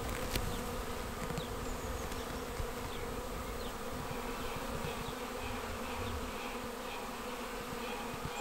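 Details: Honeybee swarm arriving at a bait hive swarm trap on 19 May and filing straight in; a steady dense buzzing hum of many bees with faint passing wingbeat whines over it.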